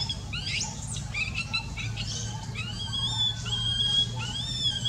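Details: An infant monkey suffering eye pain utters repeated tonal wails, some sliding upward and others held, in an uneven, plaintive sequence over a low steady hum.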